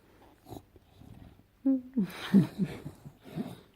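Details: Pet bulldog Enzo makes odd gremlin-like noises indoors: after a soft lead-in, a sudden whiny, squeaky whine bends up and down and is followed by wheezy snorts and grumbles.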